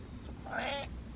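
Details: A domestic cat gives a single short, tonal meow that swells and falls away, asking at the door to be let in during rain and a storm, which he is not scared of.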